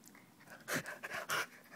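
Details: Kiba, a male Keeshond almost two years old, pants while playing with his own fur, giving three quick, breathy, hissing bursts in under two seconds.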